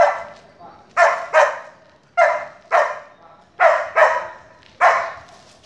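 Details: Female Border Collie during obedience training with commands to pass, stay, lie down and spin, full of energy; sharp barks, often in close pairs, about seven across six seconds, with a trainer's voice between them.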